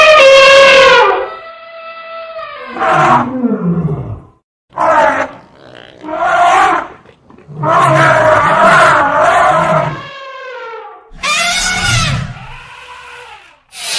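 An elephant gives loud, brassy trumpeting blasts, some held steady and others rising then falling.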